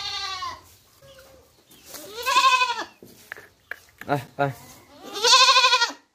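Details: Goat kid giving a series of quavering bleats, one rising and falling call after another, interspersed with short sharp softer cries between the two loudest calls.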